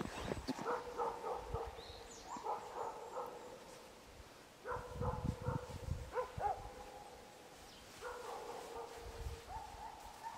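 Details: Jindo dogs Pori and Ami on a winter walk through fresh overnight snow in the countryside; drawn-out tonal whines with a harmonic edge recur in bursts, broken by crunching footsteps in the snow.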